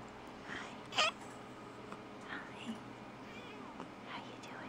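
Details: Female Platinum Mink Tonkinese cat, 19 months old, filmed indoors in November 2011, talking after waking from a nap while being petted: one short bright meow near the start, then softer faint chirps over steady room hum and quiet whispering.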